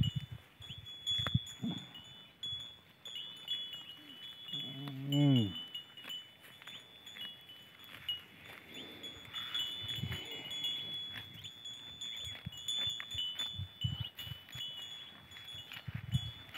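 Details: Hungry male goat in village life: one wavering, quavering bleat near the middle, with steady high ringing chime-like tones and rustling or knocking noises throughout.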